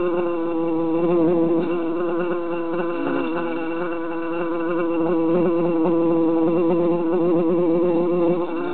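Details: Three jarred bees buzzing in summer, a constant thick drone made of several tones that rise and fall unevenly as the bees move about inside the container.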